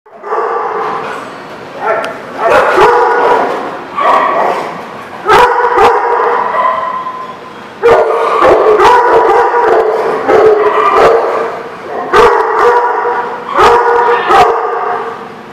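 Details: Dogs barking in a lot, dated 10/5/19: loud, repeated harmonic barks in bursts, several overlapping, with short quiet gaps between volleys and sharp clicks.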